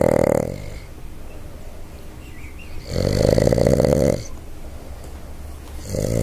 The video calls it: Boston Terrier SNORE